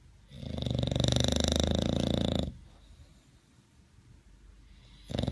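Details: Sleeping bulldog at My Second Home in Dubai, October 2015, part of a snoring competition: a loud, rasping, buzzy snore lasting about two seconds, then a quiet breathing pause before the next snore starts at the end.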